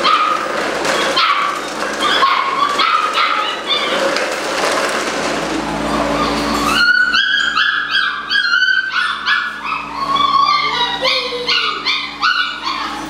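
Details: Malinois puppies at eight weeks old, several in a group, give a chorus of squeaky yelps and rising whines. Near the midpoint the calls thin into clearer, high, bending whimpers repeated in rapid runs.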